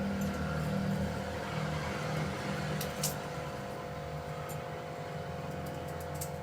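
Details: Indoor hum and low rumble with a few sharp clicks are all that is heard, with no animal sound.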